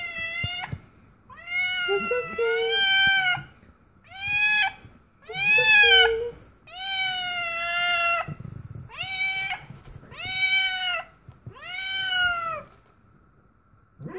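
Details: Cat in labour, delivering her first litter, crying out in a run of about eight strong, drawn-out meows, each a bright arching wail, spaced by brief silences, with faint soft human voice underneath.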